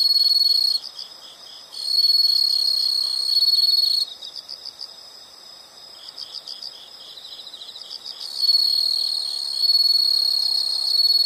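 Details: Insects alternate between bursts of loud, unbroken high trilling and quieter spells of fast pulsed chirps, the trill stopping and restarting several times.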